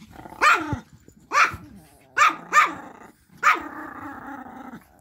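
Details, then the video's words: Playful Pomeranian puppies and dogs romping on a bed; five short snarling barks, one pair close together, each trailing into a brief growl, with the last sliding into a drawn-out rumbling growl. "Pom puppies and dogs playing"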